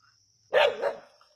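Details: Single sharp, loud bark from native dogs on a snake hunt at Keeladi, with a brief double-pulsed rasp and a faint steady high hum behind it.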